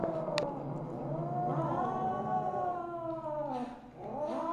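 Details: Mother Siamese cat Misu, recorded on 2/1/2015 at 8:18 PM, gives a drawn-out wavering yowl with rich harmonics, then a short dip in level and a fresh rising meow at the end; a faint click is heard near the start.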